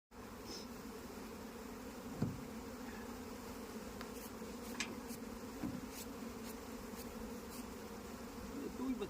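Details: Honey bees at a beekeeping farm in India: a steady, low droning hum from many bees, with a few faint sharp clicks and taps scattered through.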